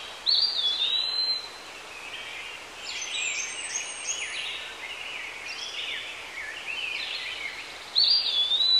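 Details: Squirrel monkey calls: a thin whistled squeak opens, then a run of quick, high, overlapping chirps and down-slurred twitters, with a final bright whistle near the end.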